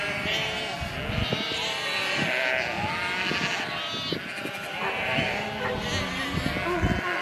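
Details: Sheep. Sheep give quavering, nasal bleats that rise and fall, several voices overlapping. Soft munching and shuffling sit beneath the calls, with faint voices in the background.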